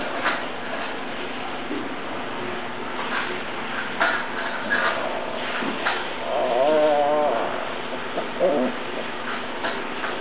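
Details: Tibetan Mastiff giving a wavering, whimpering whine of about a second with several quick pitch wobbles. A few shorter, fainter yelps come before it, all over a steady background hiss.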